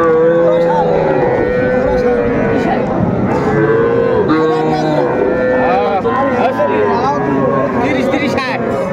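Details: Young bulls and heifer calves at a cattle market in Manikganj, Bangladesh, on 1 September 2024. Several overlapping drawn-out moos, steady in pitch, rise above a dense hum of market chatter and crowd noise.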